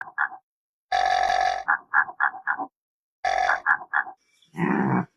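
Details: Antelope grunting in two harsh, drawn-out bursts, each followed by a quick run of three or four short clipped grunts, with a brief rustling noise near the end.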